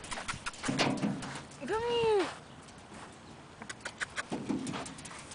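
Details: A single drawn-out whine from a Yorkshire Terrier rises and then falls over about half a second. Quiet outdoor background noise and soft human voices can be heard before and after it.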